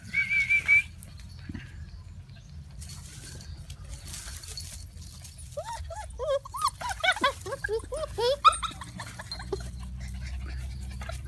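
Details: Thai Ridgeback puppies: a thin high squeal opens, followed by a quiet stretch, then a burst of quick arched whines and yelps that overlap and tumble over one another for a few seconds before fading into a low background hum.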